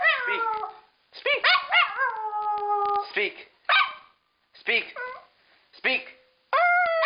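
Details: Pet female dog howling back at her owner, sometimes copying a howled "I love you"; wavering howls, one long held tone, then short yippy rising notes separated by pauses, with a human voice mixed in.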